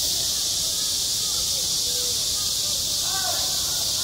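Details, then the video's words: Cicadas singing in midsummer at a school playground: a dense, steady, hissing high-pitched drone fills the air without a break, with faint distant voices or calls murmuring underneath. "한 여름 운동장에서 매미가 울고 있다 - 여름의 소리, 학교 종소리, 매미 울음소리"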